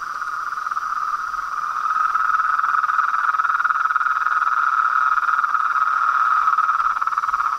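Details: Frogs and toads calling together in a continuous rapid trill of closely packed pulses, steady in pitch and growing slightly louder, with a faint high constant tone behind it.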